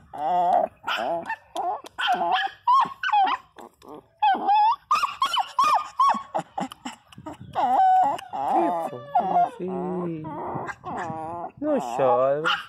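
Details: Pinscher Teco crying very loudly: a continuous stream of high, wavering whines and howling cries that bend up and down, broken by short yelps and barks, barely pausing throughout.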